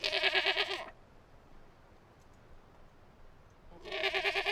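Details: Goat bleating outdoors: two loud, tremulous, harmonic bleats, each under a second, at the start and end, separated by about three seconds of quiet background noise.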